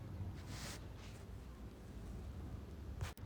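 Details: Low steady rumble of wind and distant traffic outdoors at a zoo, with brief faint hisses and no animal voices.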